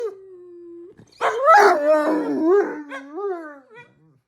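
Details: A female Great Dane tries to howl, giving a wavering, mournful howl that rises and falls before trailing away; she only howls when her pug brother does.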